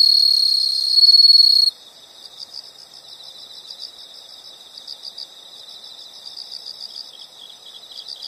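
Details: Insect sounds from nature: a loud high buzzing trill for nearly two seconds stops abruptly, leaving a quieter chorus of rapid rhythmic insect chirps pulsing steadily in the background.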